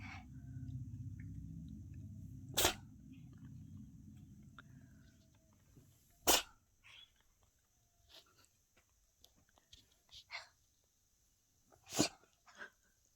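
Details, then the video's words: Domestic cat sneezing like a person after dust got in its nose, indoors; three sharp, explosive broadband sneezes spaced several seconds apart, a low hum early on, then near-quiet room with small faint clicks between. "사람처럼 재채기하는 고양이"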